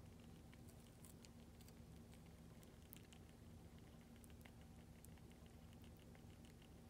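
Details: Hamster eagerly eating lactic acid bacteria paste: faint, rapid, crisp ticking and nibbling clicks scattered over a steady low hiss.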